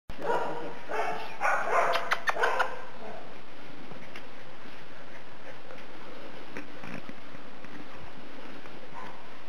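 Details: Two Shetland Sheepdog puppies named Aslan and Lucy from a kennel in Brazil; a burst of high, yappy barks in the first three seconds, then quieter room noise.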